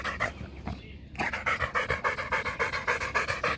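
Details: Rottweiler dog panting hard after a game of fetch, apparently thirsty; steady, rhythmic breathy pants about three to four per second, becoming louder and more regular after a brief quieter start.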